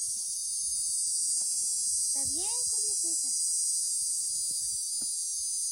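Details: A cicada gives a continuous, high, hissing buzz that holds steady throughout; the sound is made to attract a female, though people once said it called the rain.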